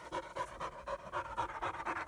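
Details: ['German Shepherd puppies in Florida, 2016, a young female and her half-brother Psycho, playing together for the first time; quick breathy panting bursts, about four per second, fairly even throughout.']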